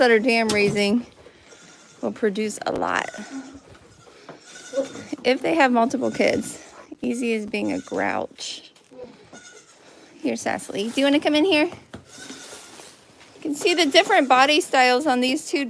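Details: Farm goats at The Willful Goat Farm & Home give loud, tremulous bleats in clustered bursts, some rising then falling, separated by brief lulls of low background noise.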